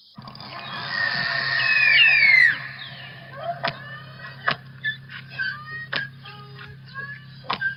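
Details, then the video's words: St. Lawrence beluga whales from the Saguenay-St. Lawrence Marine Park in a played recording: high, birdlike whistles sweeping down, then a run of sharp clicks and short chirps. "So let me play you what beluga whale sounds can sound like."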